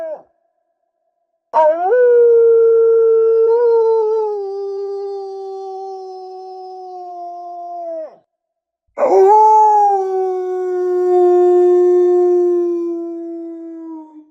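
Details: Wolf. Two drawn-out wolf howls, the first lasting about six seconds and the second about five, separated by a short silence. Each opens with a sharp rise, then holds a smooth, rich tone that sags slowly downward to its end.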